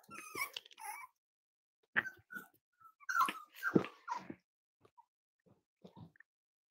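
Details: Cavalier King Charles Spaniel puppies, five weeks old, playing in a kitchen at Red Barn Cavaliers on a chilly morning. Short high whimpers and yips come in bursts, some thin and tonal, separated by quiet pauses and faint shuffling.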